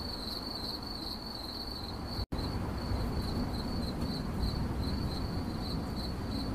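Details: A cricket chirps in 8D audio, giving a continuous shrill pulsing tone at a fixed high pitch. A brief total dropout occurs near the two-second mark, and low rumbling noise sits underneath.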